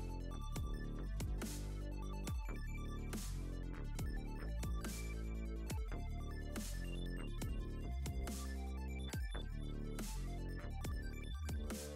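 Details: Loud electronic dubstep track with heavy bass and sharp beats throughout, and no animal sound.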